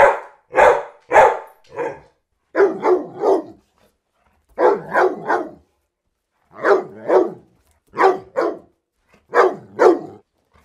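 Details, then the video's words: Barking dogs from a mastered sample compilation, sharp barks in rapid bursts of two or three separated by brief pauses, roughly fifteen barks in ten seconds, with no other sounds. "Dogs Barking for 12 hours"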